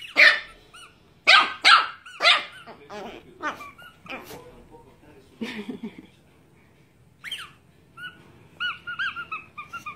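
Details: Angry Chihuahua named Niki barking indoors: a burst of sharp, high, yappy barks in quick succession, then scattered short yelps and a few higher whining notes near the end, with faint background voices.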